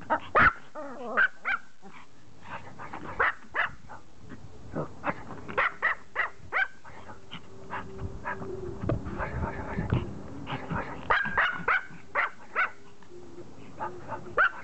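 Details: A Pomeranian begging to play catch yaps sharply and repeatedly, short high barks arriving in quick clusters then spaced pauses, with a steadier droning hum and voices in the middle stretch.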